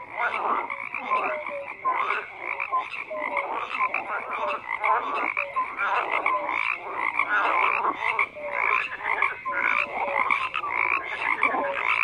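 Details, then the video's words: Many frogs croaking together in a thick, continuous chorus; rapid rattling pulses overlap with brief clear tonal notes repeating throughout. "FROGS CROAKING"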